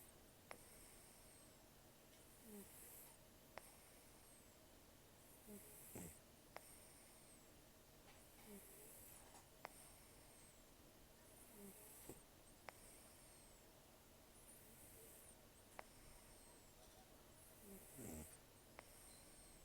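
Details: Sleeping rescued cat Taro, estimated 10 to 14 years old, taken in October 2024, nearly toothless from periodontal disease and long outdoor life, breathing and snoring very roughly; harsh breathy snores recur about every three seconds with faint nasal squeaks.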